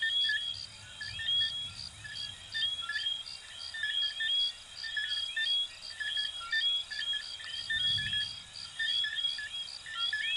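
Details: Chorus of small coquí frogs from Venezuela and Puerto Rico: many overlapping short chirps and rising whistled sweeps, repeated nearly once per second, over a steady high insect trill and faint low rumbles.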